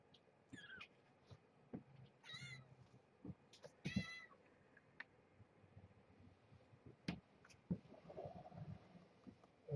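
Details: Kittens born November 22nd, 2014 to Marge, a rescued stray at Purrfect Pals, woken from sleep-nursing naps for a weigh-in while their mother supervises; a few short high mews, some stacked and wavering, between rustling, thumps and a man's voice.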